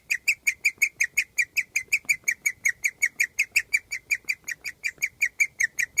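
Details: Guinea pig chirping with contentment, a rare singing sound, outside under the cage during summer; evenly spaced, sharp high-pitched chirps repeating almost three times a second without a break.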